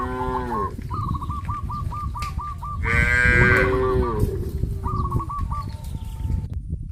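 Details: Herd of cows on a traditional village farm, heading towards green grass fields; one long, loud, harmonic moo swells mid-clip, while bursts of short repeated chirping calls from another animal sound before and after over steady low background noise.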